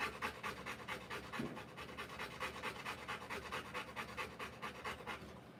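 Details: Heavy, quick panting of a birthing Rottweiler female. Steady rasping breaths at a little over two per second run through the whole stretch, with no other sounds standing out.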